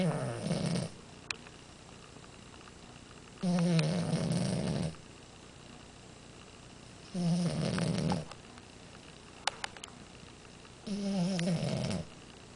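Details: French Bulldog Amora asleep and snoring steadily, four deep, rattling snores at regular intervals of about three and a half seconds, each lasting over a second, with near silence between breaths.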